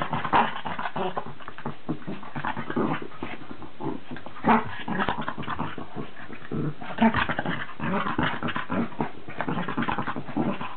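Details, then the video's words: Two dogs, Charlie the Cavalier King Charles Spaniel and Billy the Cairn Terrier, at war; dense continuous growls and snarls with scuffling, brief yelps breaking through throughout. "Charlie and Billy at Dog war"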